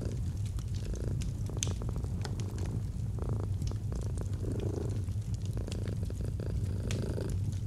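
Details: A domestic cat's low purr beside a fireplace in cozy autumn ambience, deep continuous rumble with softer breath swells, sharp clicks and pops of crackling fire scattered over it.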